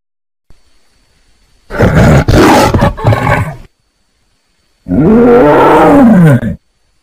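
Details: Tiger giving two loud, raspy roars, the first a rough broadband burst of nearly two seconds, then a pause before a second roar with clear arching harmonics that rise and fall, with silence around them.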